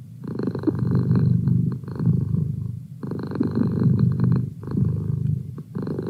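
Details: Domestic cat named Merlin purrs close by, a deep continuous rumble that strengthens in regular surges roughly every two to three seconds, with quieter gaps between breaths.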